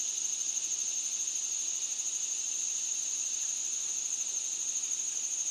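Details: Loud unbroken high hiss of singing cicadas, a flat sustained drone with slight pulsing and no other clear sounds.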